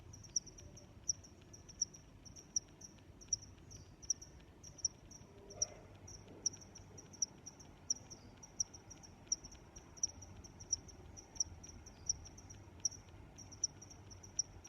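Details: Long run of cricket chirps, over twenty high, clicky pulses repeated at a steady rhythm, with a brief faint extra sound midway and soft background hiss.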